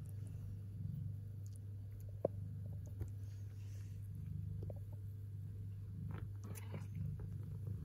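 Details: Kittens purring with pleasure while eating: a steady low rumbling hum runs through the whole stretch, with faint chewing clicks and a sharp tap near the two-second mark.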